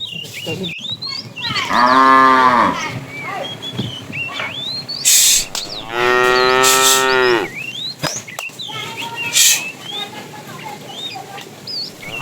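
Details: Herded tame cows in the afternoon, a fat cow calling the female: two long, rich moos with a falling pitch, the second longer, amid busy bird chirps and brief hissing noises.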